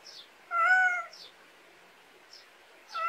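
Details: Domestic cat in a rural Korean backyard: a loud harmonic meow lasting about half a second, then a second meow beginning near the end, with soft high repeated chirps in the quiet background.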